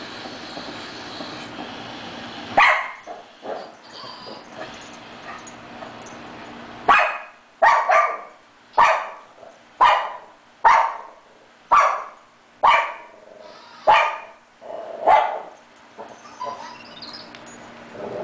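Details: Chloe, a 3-year-old Shih Tzu, barks while chasing her toy hamster indoors: sharp, high barks begin near 2.5 seconds, then settle into a steady run of about ten, roughly one every 1.2 seconds.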